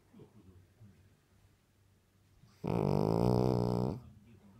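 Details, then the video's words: Dog asleep, snoring like a KAMAZ lorry; after a quiet stretch of soft breathing comes one loud, buzzing, wavering snore lasting over a second, then the low hush returns. "Собака храпит как камаз"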